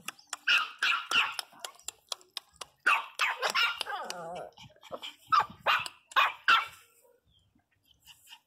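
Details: Teco, a Pinscher, crying loudly: a rapid run of sharp high yelps and barks with one wavering, quavering whine in the middle, then a few final yips.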